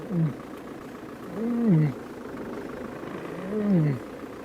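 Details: A lion, heard in Sabi Sands at sunrise on a June morning drive, gives three soft, low moaning calls, described as a contact call rather than a cub call, each swelling then sliding down, about two seconds apart, over a steady low rumble.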